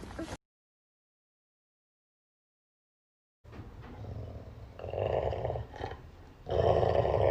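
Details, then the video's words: Pet dog greeted in the morning, answering in low, drawn-out growly moans that come in two swelling bursts after a brief cut and a pause of silence. "Funny Dogs of Tiktok Compilation 2020"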